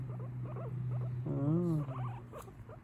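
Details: Guinea pig chatting away: short squeaky chirps, then a drawn-out harmonic whine that rises and falls, followed by more brief chatter, over a steady low hum.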